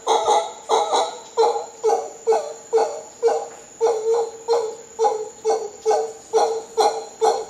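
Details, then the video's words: Howler monkeys in Costa Rica give a steady series of hoarse, hooting pulses, roughly two per second, each tone rich in stacked overtones, with a thin constant high whine running underneath. "Howler Monkeys in Costa Rica"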